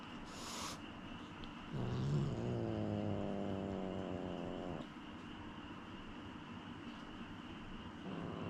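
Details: A cat growls during an uneasy introduction to a new cat, a low, wavering, rumbling growl with rich harmonics lasting about three seconds, preceded by a brief hiss-like burst, with steady indoor hum in the background.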